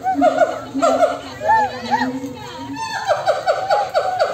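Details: Monkeys calling back and forth to each other, a loud, noisy chorus; overlapping harmonic calls arch up and down, some falling in short repeated series about one and a half times per second, with a long low steady note beneath.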